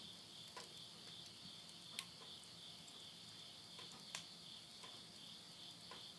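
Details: Insects at midnight near the end of summer, September 2020, in the countryside of Yurihama, Tottori, Japan: a steady, shrill high-pitched trilling hum holds without pause while occasional sharp crackles and pops come from wood burning in a stove.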